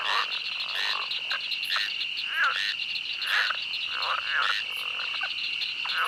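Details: In a swamp, many frogs give rattling croaks and brief rising chirps that tumble over one another, while insects keep up a continuous high-pitched buzz.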